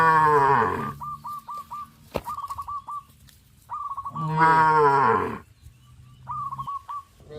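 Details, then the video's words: Cattle on a traditional village farm near a green rice field; two loud, drawn-out moos roughly four seconds apart, while quick bursts of short, high, hooked bird-like calls from other farm animals fill the gaps. "sound of cows"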